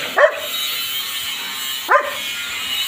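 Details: Rottweiler or Belgian Malinois dog being bathed, giving two short sharp barks about 1.7 seconds apart over a steady hiss of running water.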